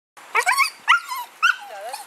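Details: Siberian Husky "talking" after finding a squirrel: three quick, wavering, whiny yowls with rising and falling pitch, like speech-like howled syllables.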